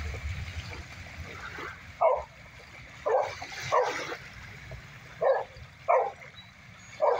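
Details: Boxer puppies Shelby and her brother Sidney playing on the beach: short sharp yips and barks in bursts about once a second after a rumbling start, with wind noise underneath.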